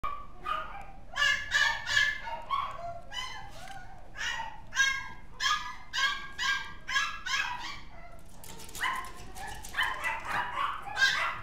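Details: Mixed-breed dog, said to have come to resemble Gizmo from the film Gremlins, giving a run of short high yapping barks in quick bursts, with a brief pause before a final cluster of yips.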